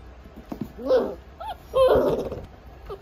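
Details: Miniature Dachshund giving two short, tonal yelping barks about one second apart, each with a bent, slightly falling pitch, plus a few fainter whiny notes before and after against a quiet indoor background.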